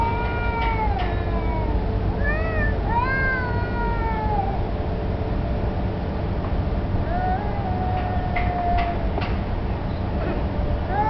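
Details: Street cats, possibly challenging each other for territory or mating, one black cat turning submissive; drawn-out wavering yowls and rising-falling moans trade back and forth over steady low traffic rumble.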